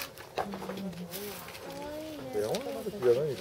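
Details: North American porcupine at Saitama Children's Zoo, Japan, March 2017: wavering, whining tonal cries that slide up and down, growing louder and more bent near the end, with faint background noise.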